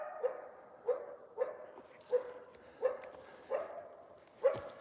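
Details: A wild male coyote, the dominant territorial old male at least 8 years old, with a pup this year, gives short, sharp barks repeated roughly every two-thirds of a second; coyote.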